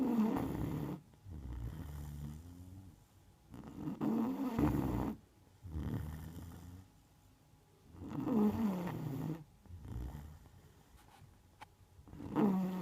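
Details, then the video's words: Margo, a Neapolitan Mastiff, sleeps and snores in a regular rhythm: harsh rattling inhalations alternate with lower humming exhalations, about four breaths per quarter minute, with a faint click near the end. "Неаполитанский мастиф . Марго спит . Храпит ."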